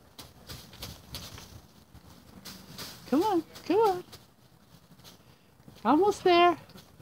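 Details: Newborn Barbados Mouflon cross lamb at Gray Sheep Ranch gives four short wavering bleats, two close together near the middle and two more near the end, over quiet background noise.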